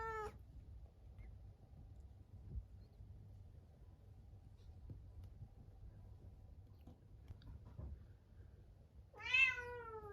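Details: Munchkin cat Chabo, shut in a separate room at dinnertime the day before neutering, gives two plaintive meows, a brief one at the start and a longer harmonic-rich one near the end, with quiet room hum between.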